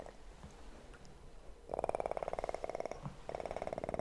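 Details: Purring kitten: after a quiet opening second, a loud, fast, pulsing purr starts and continues almost to the end, with one short break.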